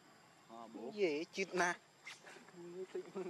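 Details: Baby macaque named Leo, hungry and crying to beg its mother for milk: short wavering harmonic cries, some arching up and down, with a sharper shrill burst in the middle and a few flatter whimpers near the end.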